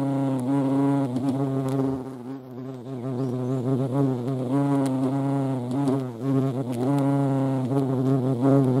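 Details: Low steady hum of a European hornet (Vespa crabro) recorded in the Eifel, the wingbeat drone wavering up and down with faint ticking sounds behind.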